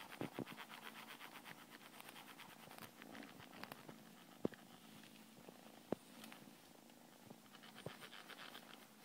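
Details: Purring from a blue Scottish Fold cat: an even, pulsing rumble of fine rapid beats continues the whole time, broken by a few sharp clicks and soft rustles.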